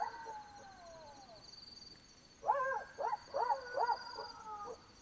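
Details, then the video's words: Black-backed jackal at night in Botswana: a falling wail, then a quick run of four or five arched, yelping notes. Insects trill steadily in the background. "Jackal Sounds - Howling & barks of Black-backed Jackals at night in Africa"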